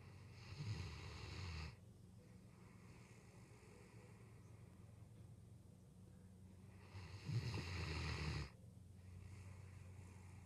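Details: A Great Dane sleeping beside its owners' bed at night snores in deep, rasping rumbles: two long breaths several seconds apart.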